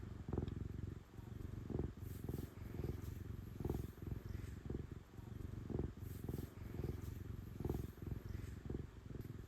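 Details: Affectionate female cat purring loudly during petting, a deep continuous rumble that pulses slightly, with repeated soft brushing strokes every second or so.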